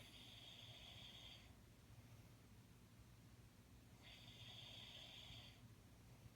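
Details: Jack Russell Terrier Jaxie asleep and snoring, two long, thin, whistling snore breaths about four seconds apart, each around a second and a half, with soft room hum between.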